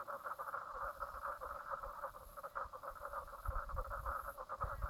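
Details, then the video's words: Brown Lake, Stradbroke Island, Queensland, Australia, late morning (10:55am, 04/03/2017): dense frog chorus of quick repeated rattling notes, continuous throughout, with some low thumping rumble near the end. "frog sounds"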